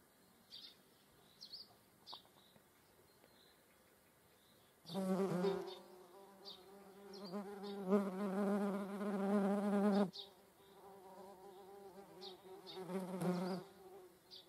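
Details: Median wasp in flight alongside honeybees, a low droning wing buzz with rich overtones that swells in bursts of about five seconds, then fades between passes, with faint higher chirps in the background.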